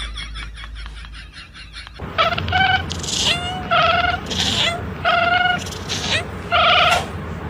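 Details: Domestic cat meowing repeatedly, about one short, clear, tonal meow every second, after a noisy start, with faint voices in the background.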